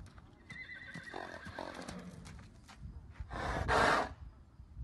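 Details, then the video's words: Arabian mare whinnying: a loud, harsh burst near the end of the clip after quieter stretches with faint tonal traces, possible hoof sounds and background noise. "Arabian Horses mare خيل عربي اصيل فرس عربيه اصيله"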